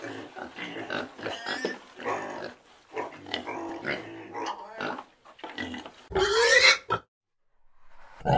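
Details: Domestic pigs, farm animals: a busy run of rough, broadband grunts and snorts, then a loud, rising squeal near the end, followed by a short pause and another grunt.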